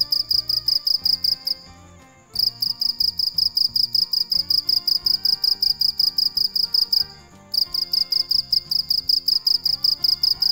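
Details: A cricket chirps at night in long trains of high, pulsing chirps that pause twice for under a second, accompanied by low background music.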